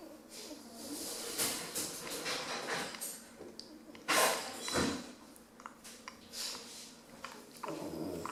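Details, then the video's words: Sleeping ten-week-old female Rottweiler puppy Bambi snoozing indoors: soft breathy snores and snorting snuffles recur irregularly, with one louder snort partway through. "Rottweiler Puppy Falls Asleep and Snores!"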